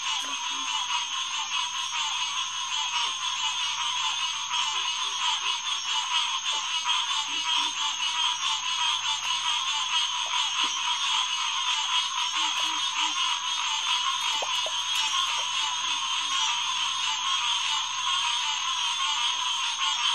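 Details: Massed green tree frogs calling at night at Headquarters Pond, June 2, 2021; a steady dense chorus of nasal notes runs throughout, with scattered low croaks and a faint low hum underneath.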